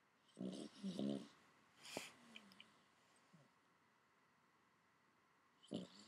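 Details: A sleeping Boston Terrier (Canis lupus familiaris) snores, as it habitually does, in low, rattling, buzzy breaths with long pauses between them.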